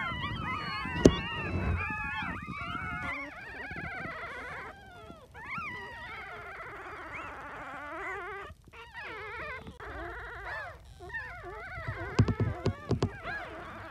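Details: Miniature Dachshund puppies from a litter of seven, aged between two and twenty-five days, in their first three weeks; overlapping high whining and squeaky whimpers, wavering and rising, with louder yelps near the start and end.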